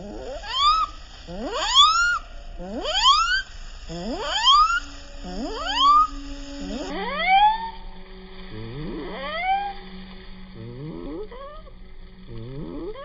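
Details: A pet guinea pig gives slowed, drawn-out wheeks in slow motion, each a rising whistled squeal repeated about every second and a half.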